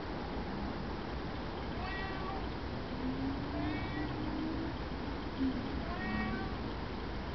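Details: Cape genet (Genetta tigris) uttering three brief, slightly falling, cat-like mews spaced about two seconds apart, each with layered overtones. Faint low squeaks sound in between against constant hiss.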